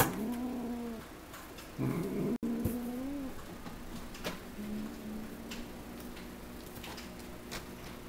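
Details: Cat George, sitting by a window while Mika plays with his tail, gives a string of low, wavering growls, several drawn-out rumbles with brief pauses between them, against a quiet indoor background with occasional soft knocks.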